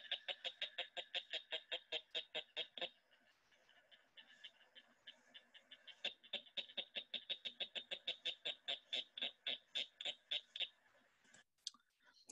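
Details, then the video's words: A cricket frog of the St. Louis area gives its breeding call, heard near ponds from April into May: rapid, sharp clicks like two marbles or pebbles knocked together. "They sound like two marbles or rocks hitting together."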